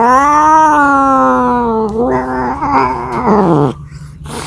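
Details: A cat calling for a mate: one long, steady, harmonic yowl held for about two seconds, then a wavering, broken cry that cuts off just before four seconds, followed by quiet.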